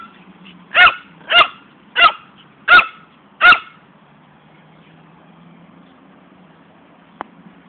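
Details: Barking poodle Fani during ball play: five short, sharp barks in a steady run roughly every half second, then quiet with a faint background hum and a single click near the end.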